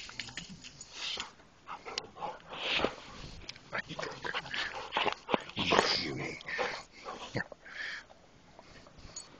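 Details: Dog giving a busy run of rough growls, huffs and thin whining whimpers, louder and more continuous than a single bark, over close indoor handling noise and a faint voice in the background.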